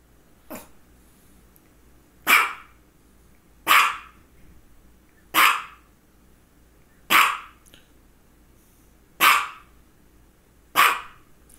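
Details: Misha, a female dog suffering focal seizures around this time, lets out a series of seven loud, rasping barks roughly every one and a half seconds, preceded by a softer one, while someone commands her to sit down.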